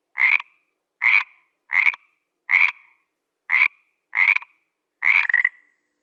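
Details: A frog gives seven short, rasping croaks, about one every 0.8 seconds. Each is a brief burst with a nasal, mid-pitched tone, and the final croak is doubled and slightly longer. There is clean silence between calls and no other sounds.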